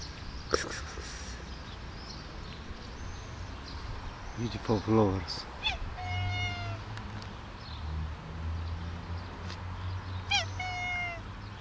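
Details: Sweet Bun, a pet cat, meowing persistently at an owner who does not understand her: two drawn-out, slightly falling meows a few seconds apart, with a woman's voice talking softly and a low household hum.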